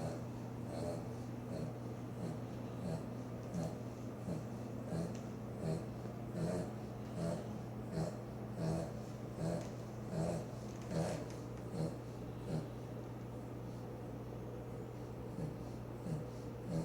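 A Boston Terrier snores in steady, rough, snorting breaths, each less than a second apart.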